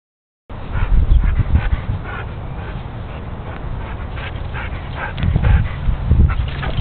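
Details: A Siberian Husky whimpers and yips in short, uneven bursts over a muffled, low background.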